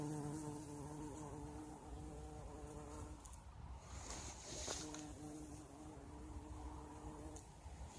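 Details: A bumblebee buzzing among blossoming currant bushes in spring, a steady low droning hum with stacked harmonics that fades briefly midway and then returns as the insect moves between flowers.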